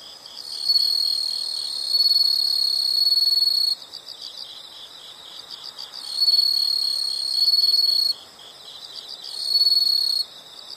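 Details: Insect calls outdoors: loud high-pitched trills in bursts of about two to three seconds, three times, separated by softer steady pulsed chirping at around four per second.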